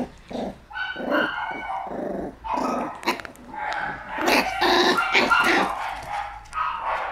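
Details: Shiba Inu named Kyu fighting back after charging in boldly and meeting a counterattack: harsh, rough growls broken by sharp barks in quick bursts, snarling almost continuously through the scuffle, with rustling movement.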